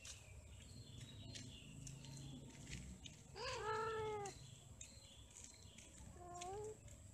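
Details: Domestic cats during mating and quarrelling: one long arched, strongly harmonic yowl rises then falls over about a second, followed later by a shorter, lower wavering cry, over steady background hiss and faint clicks.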